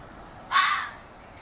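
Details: A local fox calling in a yard, possibly young, gives one short, harsh, hoarse call under half a second long, rough and scream-like, rising abruptly and fading into quiet background; the onlookers wonder whether a female is calling to it.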